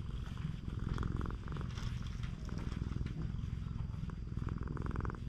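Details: Close, strong purring from an affectionate stray cat on a Japanese cat island, recorded with a GoPro HERO8; deep vibrating purr rising and falling with each breath, roughly one cycle per second.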